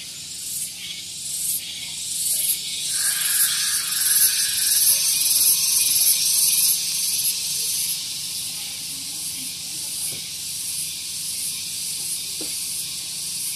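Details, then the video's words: Loud tonggeret cicada song on a West Java morning at Gunung Geulis, Bogor, beside a parking area. A high, sizzling drone that pulses rhythmically and swells after a few seconds, with a brief thin tone and a few faint clicks beneath. "Relaksasi Suara Tonggeret || Santuy Pagi Ditemani Suara Tonggeret"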